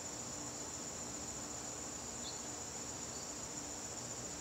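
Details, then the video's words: Crickets in a garden on a September evening, a continuous high, thin shrill trill holding steady without pause, with faint low background hum. "garden crickets"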